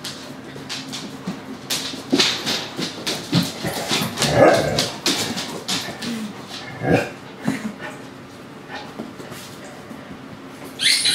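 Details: Dogs playing together, an adult dog with a puppy and a few other dogs, make rough scuffling noises, low growls and short yips and whimpers in an irregular stream, with a loud yelp near the end.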